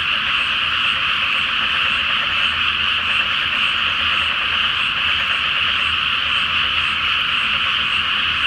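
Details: Frogs call en masse at night from a flooded pre-planting rice field under the full Flower Moon; a dense, continuous chorus of grating croaks runs without a break, over a faint distant low hum.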